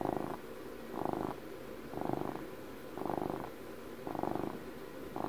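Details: Domestic cat on its 12th birthday purring close to the microphone, a soft rumbling vibration that strengthens and fades in rhythmic waves about every second.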